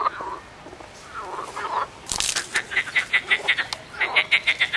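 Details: Frogs calling in a short film, with scattered rasping croaks early on, then a loud burst followed by a quick series of pulsed, rattling croaks repeated about five times per second.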